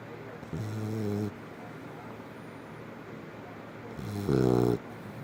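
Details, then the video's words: A Labrador Retriever asleep, giving two harmonic, buzzy snores three seconds apart, the second louder and rougher, with faint background hiss between breaths. "Snoring Labrador"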